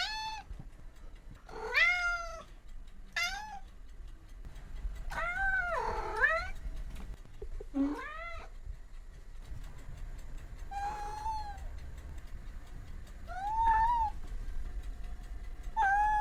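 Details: Cats and kittens meowing repeatedly, overlapping high arched meows and softer lower ones, some drawn out and wavering, with a low background rumble throughout.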